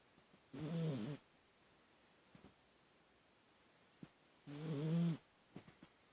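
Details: Sleeping dog snoring, two harsh buzzy inhalations roughly four seconds apart, each lasting about half a second, with small clicks and soft breathing noises in the pauses.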